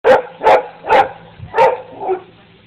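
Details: Dog barking: five short, sharp barks spaced about half a second apart, the last one softer, with a faint low hum underneath.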